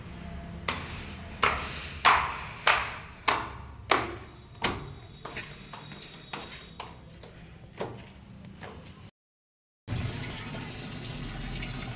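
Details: Repeated sharp tapping or bouncing knocks, about one to two per second and fading over time, with a brief dropout near the end; no animal voice is heard.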